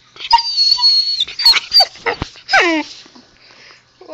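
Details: Husky puppy talking to its owner at home: a run of high, thin whines and yips followed by a loud descending howl-like moan, several vocal bursts packed into four seconds, then a quieter pause.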